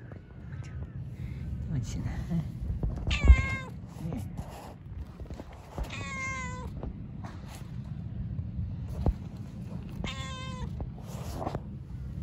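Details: Park-dwelling stray cats meow repeatedly, several short harmonic cries spaced a few seconds apart, some rising then falling, against steady low outdoor rumble and occasional clicks.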